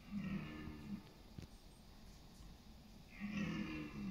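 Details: Red deer stag roaring during the autumn rut in East Serbia's forests on September 28, competing for dominance and mates: two deep, harmonic roars about a second each, separated by a quiet gap, over steady low rumble.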